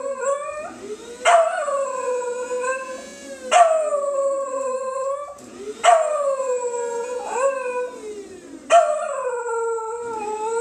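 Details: A Pembroke Welsh Corgi howls at a coffee grinder in long, sliding wails, each starting sharply and drifting down in pitch.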